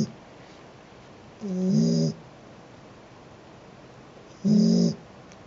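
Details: Cat snoring while asleep: two slow, rasping, low snores nearly three seconds apart, the first longer and swelling, each with a breathy hiss, in near silence.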